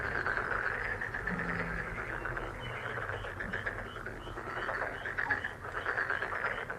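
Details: A continuous chorus of frogs, fast trilling croaks layered into an even, shimmering wall of sound with small swells in loudness.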